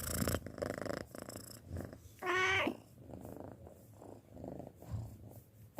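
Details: Pet cat six months old purring in uneven low rumbling bursts, broken by a short tonal mew-like squeak midway and some rustling handling noise.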